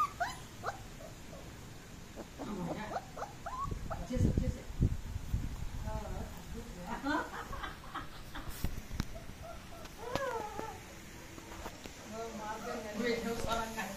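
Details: German Shepherd puppies on the loose whine and whimper in high, bent, wavering cries that come in small bursts, mixed with people talking, handling thumps and rustling close by.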